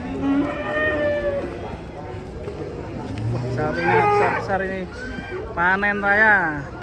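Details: Huge 'monster' cattle being loaded onto a truck give long, harmonic lowing moos: one drawn-out call at the start, then louder, wavering bellows that rise and fall toward the end, with people's voices faint in the background.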